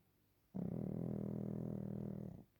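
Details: Pekingese named Waffle napping indoors, giving one long, low, rasping snore that rumbles steadily for about two seconds before stopping, in a quiet room.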